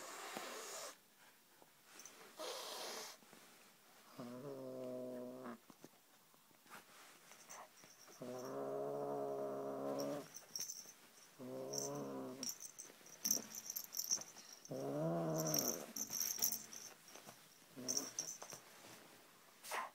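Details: A seven-month-old male Siamese kitten, possessive of his toy snake, gives long, low, drawn-out yowling meows separated by pauses of a few seconds.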